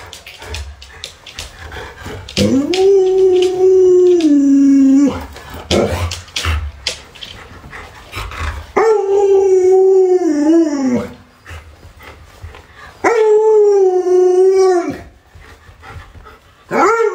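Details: Alaskan Malamute Luoluo, a dog with 36 tricks, reacting at home while its owner is sick in bed: three long sustained howls, each about two seconds, holding a steady tone then wavering and dipping, separated by short pauses with faint rustling.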